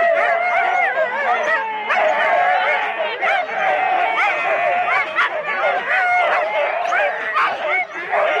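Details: Rendlesham sled race start, January 2016, with four-dog Husky teams, recorded on analogue cassette; a steady wall of high whining and yelping from many excited dogs, with voices possibly mixed in.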